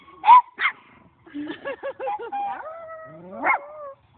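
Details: Dog meeting two new dogs, greeting bark changing to a howl, its idea of singing, then a high-pitched playful bark: two sharp barks, a wavering series of yips sliding into a drawn-out tonal howl, then another bark.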